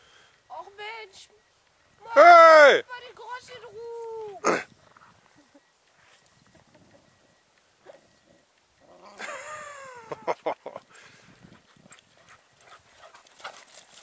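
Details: Bernese Mountain Dogs play fighting in the snow: loud, high yelps that slide sharply downward come in short bursts, with a second cluster of squeals later. A person talks and exclaims between them.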